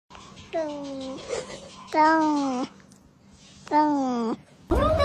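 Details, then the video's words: Cat giving three long drawn-out meows, each about half a second to a second, level then dipping slightly, with short quiet gaps between. "FUNNY CAT SOUNDS"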